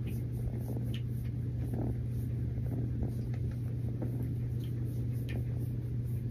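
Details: Low, even purring from Mazie, a snuggling rescue kitten, forms a constant rumbling hum with small clicks and rustles scattered over it.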